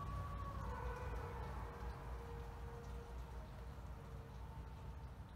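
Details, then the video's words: Thirty captive wolves at a wolf conservation centre in South Salem, New York, howl together at sunset, long smooth tones gliding slowly downward over a low rumbling background. "Thirty Wolves Howling"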